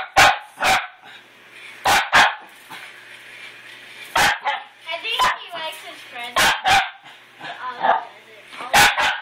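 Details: Dog attacking a new toy puppy, barking loudly in short sharp bursts at irregular intervals, with whines and squeaky yelps between barks and human speech mixed in.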